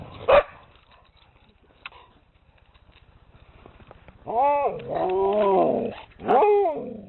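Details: Siberian Husky giving a short sharp yelp at the start, then, after a quiet stretch with a faint low rumble, a long wavering moan that rises and falls, followed by a briefer cry of the same kind.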